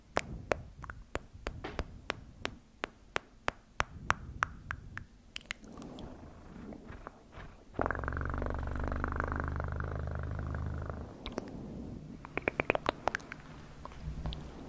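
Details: Quiet ticking and tapping give way to a pet cat's loud, steady purr lasting about three seconds, followed again by faint clicks.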